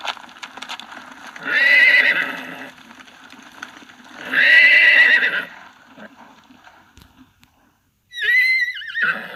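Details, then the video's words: Horse neighing: two loud shrill whinnies, each about a second long and quavering, then a higher wavering squeal near the end over low background rumble. "Horse whinnying | Horse neighing, huffs, puffs and galloping"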